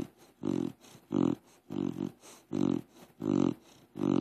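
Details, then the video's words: Crush, a deaf pit bull, snoring like a pig while asleep: deep rasping pulses repeated roughly every 0.7 seconds, each a rough, grunting inhale-exhale, with quieter breathy gaps in between. "Crush snores like a pig"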